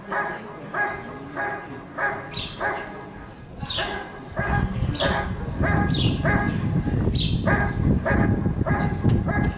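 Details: Rick vom Lindelbrunn, a Giant Schnauzer competing in an IGP dog sport trial in Russia in 2022, barks repeatedly in quick regular bursts. A loud low rumble of noise sets in halfway through and continues under the barks.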